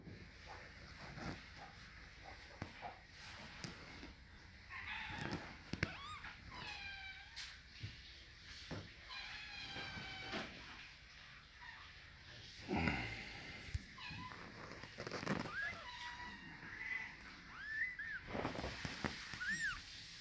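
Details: Scottish Fold kittens, fold-eared and straight-eared, give thin, high, wavering mews in short bursts, several close together around the middle and end, over a background of soft rustling and handling noise.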